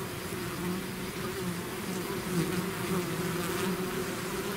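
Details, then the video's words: Loud, full buzzing of a bee swarm out of its hive, steady droning tones flickering as individual bees pass nearby, swelling slightly midway, with no other sounds. "bees therapy swarm natural buzzing sound"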